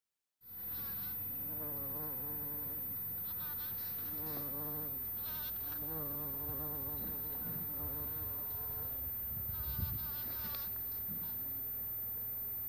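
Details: Bumblebee buzzing, recorded 26 April 2017 at 11:45; a droning buzz with a stacked, wavering tone that rises and falls in pitch as it flies, over a steady low hum.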